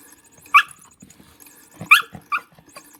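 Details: Lulu, a dog playing with a motion cat toy, gives three sharp, short barks, the first standing alone and the last two close together, over a faint ticking whir from the toy.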